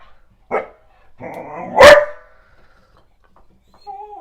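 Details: Callie, a black Goldendoodle, gives one loud bark at the owner's mother and a painter, preceded by a faint yip and rumbling, then a brief soft tonal whine near the end.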